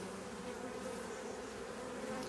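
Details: Drone-laying honey bee colony checked for a queen during hive inspection; constant massed buzzing of many workers, even and unbroken throughout, with faint handling noises.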